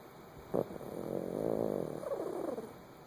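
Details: Sleeping dog Kilroy snores, with a brief catch followed by a drawn-out, purring rasp that swells and fades over about two seconds.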